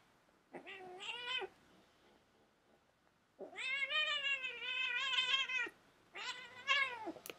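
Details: Pet cat, described by its owner as crazy, lets out three long wavering yowls: a short one, then a sustained two-second wail with quivering pitch, then a final rising-and-falling cry, in a quiet room.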